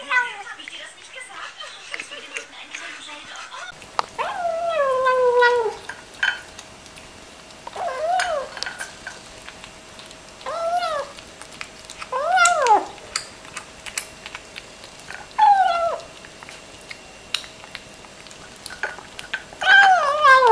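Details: A cat meows while eating. After a few silent seconds, a run of six or seven short, falling, tonal meows follows at intervals of two to three seconds over a faint steady hum.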